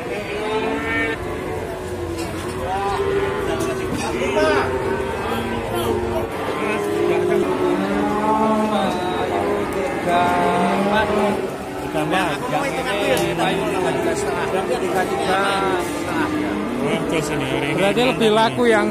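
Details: Jumbo cattle at a sale in Indonesia, lowing in low drawn-out moos with harmonic bands, several overlapping calls across the clip, mixed with people talking and background music.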